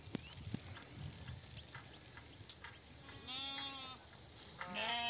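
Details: Herded sheep giving two bleats close together near the end, the first wavering and drawn out, the second shorter and rising, after a quiet opening of soft rustling and low background noise.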